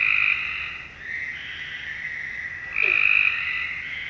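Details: Night chorus of frogs: overlapping buzzy trills hold steady throughout, with louder bursts standing out at the start and again near three seconds.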